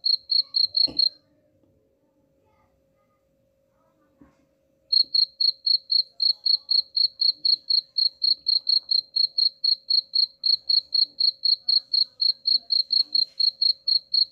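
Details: Cricket sound used as a rat repellent: a few rapid high chirps, a click, then nearly four seconds of silence before the steady chirping resumes at about four pulses per second and continues to the end.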